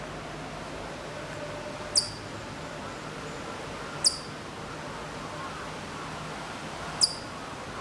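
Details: At Maruyama, Sapporo, Hokkaido, September 2014, a Hokkaido chipmunk some distance off gives three thin, high, falling chips, two to three seconds apart, over a faint steady hum and hiss.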